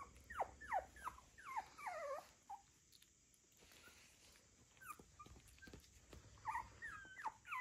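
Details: Puppies from Brandy's litter, recorded February 14th, give repeated high squeaky whimpers, each a short curved falling note, in bursts separated by quieter pauses with soft handling noise.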